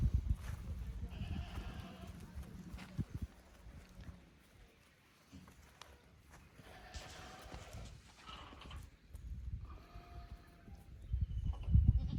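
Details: Goat kids from a lower pasture visiting the upper pasture at Yoshigake Farm, a handmade goat farm in Japan, 15 May 2024; wavering bleats in three bursts, near the start, around seven seconds and near eleven seconds, over heavy low rumbling noise.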